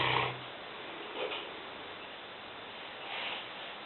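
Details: Lena, a five-year-old female Newfoundland dog weighing 150 pounds, snoring while asleep in a kitchen; soft, breathy noisy rasps recur at irregular intervals over a steady hiss.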